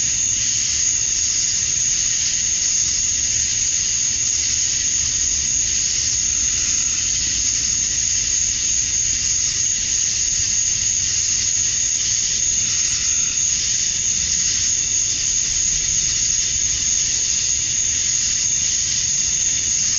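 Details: Male cicadas chirping to attract females at summer dusk in Georgia, USA: a dense, unbroken high-pitched buzzing drone with a bright steady whine on top, holding level throughout, over a faint low rumble.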